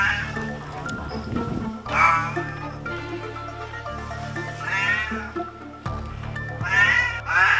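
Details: Domestic cat rescued after a South Korean forest fire, fur burned and one leg melted, barely able to see or move. Several wavering meows rise and fall over continuous music, the first two close together and the last near the end.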